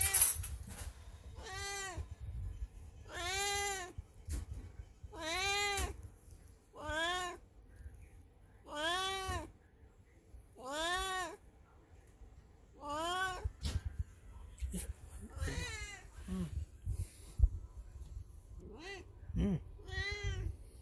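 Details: Aging black cat Beni, in heat indoors, calls over and over: about ten arched, nasal meows repeated roughly every two seconds, fading into shorter, weaker cries near the end.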